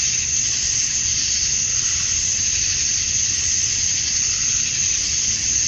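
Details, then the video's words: Male cicadas at summer dusk in Georgia, USA, calling for females; an intense, unvarying high-pitched hiss-like buzz fills every second, no other clear sounds. "Cicadas at Dusk, Summer Night"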